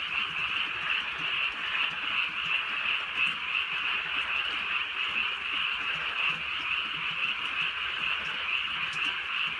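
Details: Countryside night in light rain, filled with many frogs croaking at once. The result is a continuous, even, high trilling wash with no pauses.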